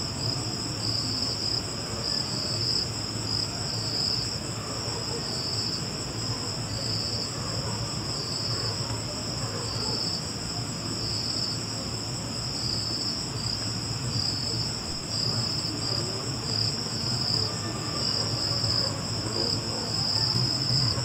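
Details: High, unbroken cricket trill with gentle rhythmic pulsing lasting the full stretch, a faint higher band above it and steady low-frequency background noise.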